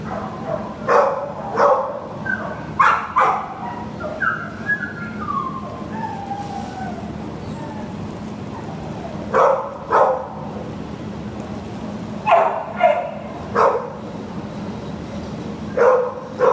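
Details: Pit Bull terrier housed at a shelter and up for adoption in June 2015 gives scattered single and paired barks, a short falling whine between them, long quiet gaps, and then renewed bursts of barking near the end.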